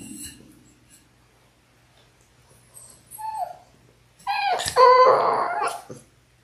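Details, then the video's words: Six-week-old Labrador Retriever puppies in an indoor puppy cam litter of six, born January 18, 2022: after quiet breathing, a short whine, then a loud harmonic howling whimper lasting about two seconds. "6 Adorable Labrador Puppies in their 6th Week!"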